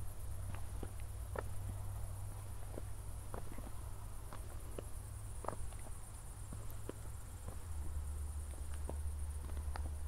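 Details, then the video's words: Night crickets in Zwettl, Austria, shortly after a thunderstorm, captured in 24-bit stereo on a city-lit evening walk: continuous high, finely pulsed chirring runs throughout, with irregular footsteps and a deep background hum. "ASMR Cricket Sounds"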